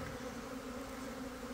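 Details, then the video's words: Swarming Italian honey bees just out of their hive in a southeast Texas backyard, a brief continuous buzzing drone with steady humming bands. "Swarming Bees Honey Bees Italian Honey Bees in Swarm Mode"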